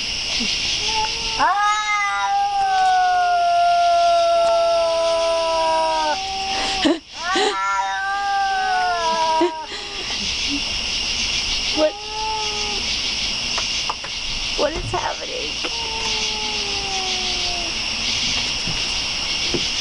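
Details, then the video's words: Domestic cat caterwauling indoors: long drawn-out wavering yowls with rich harmonics, sliding slightly in pitch, several extended cries over twenty seconds, with steady high-pitched background hiss throughout. "Poltergeist Cat"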